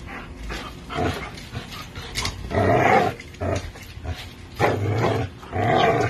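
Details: Two dogs, an American Bully and a Pitbull, tugging on a Tugmutt toy. Irregular growls come in short rumbling bursts, some longer and louder, with brief pauses between them.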